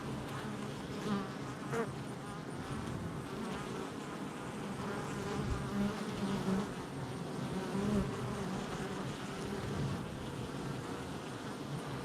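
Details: Busy hive entrance of honey bees on July 22nd, 2024: a constant low-pitched buzzing mass of wingbeats, with brief louder swells as individual bees pass close.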